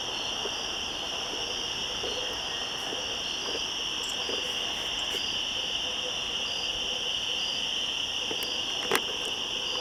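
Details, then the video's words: Constant shrill cicada chorus in woods at the top of switchbacks, 1 September 2014; the high droning bands never pause, while scattered light taps and clicks sound through, one louder knock near the end. "Cicadas Yammering At Each Other In The Woods"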